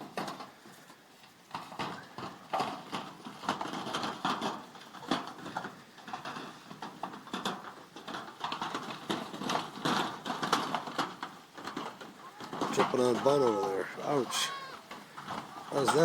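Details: Goat kids playing in the goat pen: a long stretch of trampling hooves and knocking, then near the end a burst of several quick, wavering bleats from the young animals.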